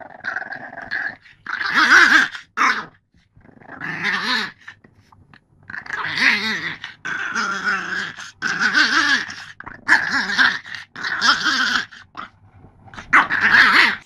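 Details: French Bulldog in a cranky mood, repeatedly letting out harsh, throaty grumbles and growly moans, roughly a dozen bursts of about one second each with short silent gaps, some bending upward in pitch like complaining whines.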